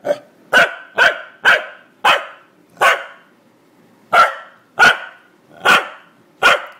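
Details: A male corgi barks repeatedly, with sharp, mid-pitched yaps coming in quick, uneven bursts, while its owner keeps telling it to be quiet.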